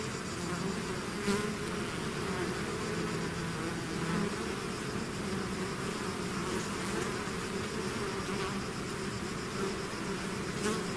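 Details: Bee swarm pouring out of its hive, a dense steady drone of many wings with layered low hum bands and faint brighter tones over a continuous wash of buzzing.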